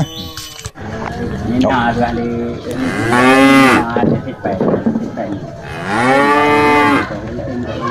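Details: A cow bought for Qurban in 2025 gives two deep, sustained moos, each arching in pitch over about a second, over steady background noise and murmuring voices.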